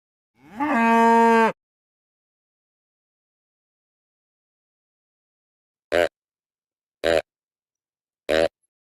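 A white-tailed deer gives one drawn-out nasal call, then three short clipped calls after a pause.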